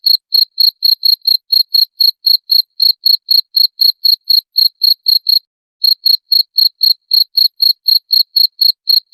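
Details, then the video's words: Cricket calling to repel rats: rapid, piercing chirps about four each second, briefly stopping for half a second midway before resuming at the same pace; nothing else audible. "SUARA JANGKRIK PENGUSIR TIKUS"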